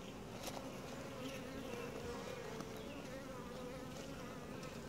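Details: Honey bee colony during a routine hive inspection, described as quiet, gentle and calm; a steady low droning hum with a clear humming tone, continuous throughout, with faint scattered ticks above.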